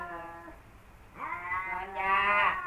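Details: Kaopat and Ronja, two male cats at odds at home. A low drawn-out moan fades, then a swelling nasal wail climbs and grows louder to the end.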